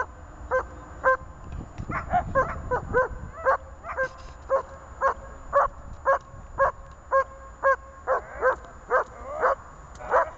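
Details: A German Shepherd barks in a steady series of sharp, mid-pitched barks, about two each second, during IPO training.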